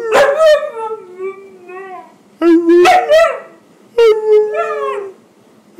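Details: Pet husky 'talking' to its owner about its day, giving loud, rich howls in three bursts, each opening with a sharp yowling onset and then easing into a steady, slightly falling moan.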